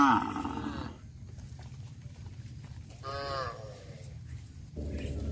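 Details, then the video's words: Village cows driven out to graze: a strong moo opens, then a quieter, slightly falling moo follows a few seconds later, with steady low-pitched background noise throughout. "Sound of cows"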